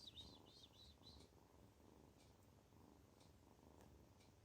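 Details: Kitten purring while feeling good: a low, soft, continuous rumble with a gentle rhythmic swell. A few high bird-like chirps sound during the first second.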